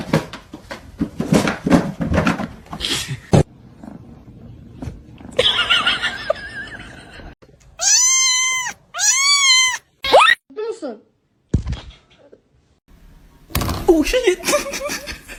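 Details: Cat indoors giving two loud, arched, harmonic meows in quick succession, each rising then falling, followed by a shorter clipped call, with scattered clatter, thumps and faint voices before and after.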